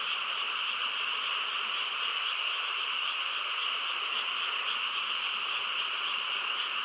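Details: Many frogs calling together on a still rural night, an unbroken shimmering mass of croaks concentrated in a high band, even in loudness from start to end.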